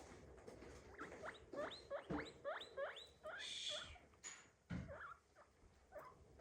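A guinea pig gives a run of short, sharp squeaks that rise steeply, several per second.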